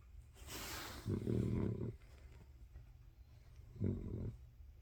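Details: Sleeping pet dog snoring: a hissy inhale followed by a low, rumbling snore lasting nearly a second, then a shorter rumble a couple of seconds later.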